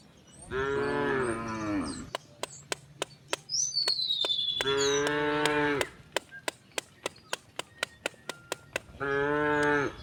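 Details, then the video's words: Village cattle heading out to the fields give three drawn-out, deep moos, separated by a run of sharp regular clicks or taps, while a bird whistles briefly between calls. "the sound of cows mooing"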